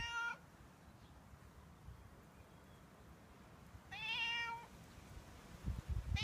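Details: Daily routine of a stray male cat asking for milk and food outside a home; two clear meows several seconds apart, the first cut short, plus the start of a third, over faint low background noise.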